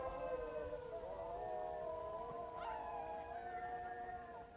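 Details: Short burst of jackal calling: several overlapping wailing howls that slide and waver, with a sharp yelp near the middle, held steadily for a few seconds.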